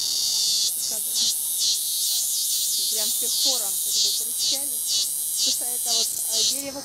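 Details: In Rio de Janeiro, by a breadfruit tree, a cicada keeps up a loud, harsh, high-pitched chirr that pulses in rhythmic surges while a man speaks over the steady buzzing.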